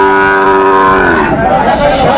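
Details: Sahiwal bull calves at a busy cattle market in Comilla, Bangladesh, December 16, 2024: a loud, steady harmonic moo holding level for about a second before sliding downward, with market murmur and voices behind.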